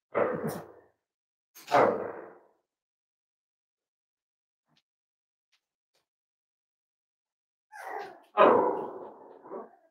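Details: Indoor barking from a Cavalier King Charles Spaniel at Red Barn Cavaliers on a chilly Thursday morning: two rough barks, a long silent pause, then a final burst of three harsher, strained barks.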